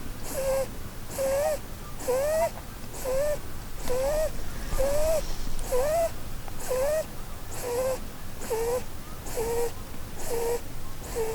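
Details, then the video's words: Female Holland Lop rabbit Blueberry asleep under the Christmas tree, dreaming; steady nasal snores as short whistled squeaks, each slightly rising, repeated about once a second in an even rhythm with breathy hiss between. "Snoring Bunny Compilation"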